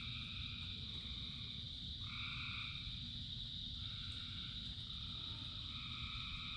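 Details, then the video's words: Frogs calling in rain. A steady, dense high-pitched trill runs throughout, with several lower, harmonic croaks each lasting about half a second, all over a constant low rumble of rainfall. "Frogs in Rain 2 Hours of Frogs, Thousands of Frogs Singing"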